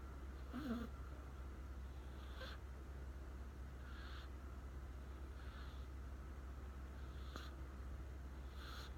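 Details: Asleep after settling beside someone, Riku the American Shorthair gives faint, airy snore breaths roughly every one and a half seconds, hissy and breathy, with a constant low drone underneath.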